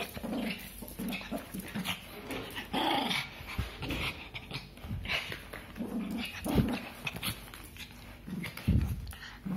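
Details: A little dog plays with its favourite glove, giving low rumbling growls in short bursts every second or two, mixed with scuffling and rustling as it tugs and mouths the glove.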